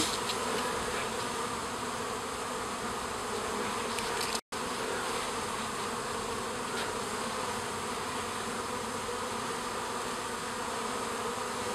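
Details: Honey bees leaving a garden hive to stretch their wings: a steady, dense buzz of many wings at moderate loudness, briefly cut by a silent gap partway through.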